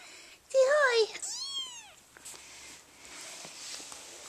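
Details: Persian kitten at a cage-free Oregon cattery, giving a squeaky, wavering meow followed at once by a clearer rising-and-falling meow, then quiet indoor background.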